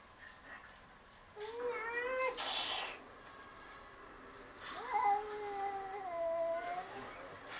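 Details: Cats "talking" indoors: a wavering meow lasting about a second, a short breathy hiss-like burst, then a longer drawn-out yowl that rises and sags over roughly two seconds, with faint room noise.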